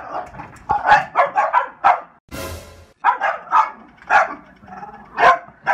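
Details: Two French Bulldogs bark in rough, mid-pitched bursts from inside their apartment, trying to defend their home against window washers.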